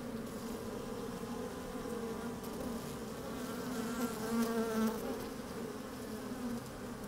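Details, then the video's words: Honey bees working inside an open hive on a fine, sunny day, microphone slid down among them: a steady humming drone with bands near the low-mid range, swelling briefly louder around the fourth second, faint wind behind. "Open Beehive"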